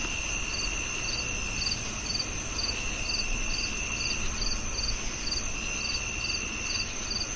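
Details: Cricket chirping steadily, about two short high pulses each second, above a constant shrill ringing tone and a low, noisy rumble.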